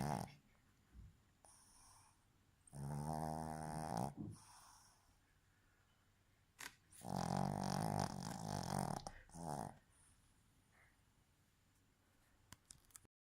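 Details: A female Boston terrier snores with her eyes open while asleep and possibly dreaming, in long, rattling, low-pitched bursts between quiet pauses.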